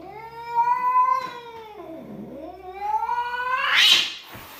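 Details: Domestic cat giving a long drawn-out yowl with rich stacked harmonics, holding steady, dipping low and sliding back up, then ending in a harsh, loud screech.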